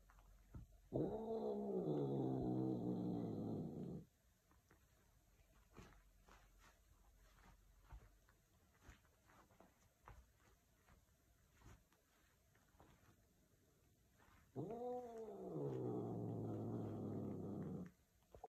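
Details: Bengal cats mating: two long, loud wailing yowls about three seconds each, rich and harmonic, rising then falling, separated by roughly ten seconds of quiet shuffling and faint clicks.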